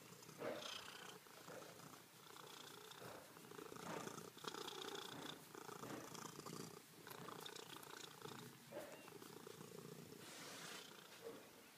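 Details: A purring cat named Ferrari crawling across the floor: a continuous quiet, throaty vibrating purr with a rhythmic pulse, and a few faint bumps and shuffles of movement.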